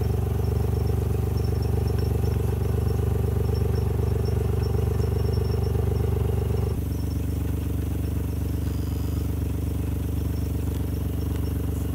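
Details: A loud, steady engine rumble with rhythmic clatter shifts to a lower idle partway through, with no animal sounds.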